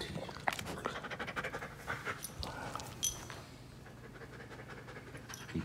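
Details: Panting from a one-year-old poodle-type dog called Wolf Dog, about 60 pounds, at a home in South Carolina: rapid, airy, repeated breaths, louder in the first half, then fading over a faint low background hum.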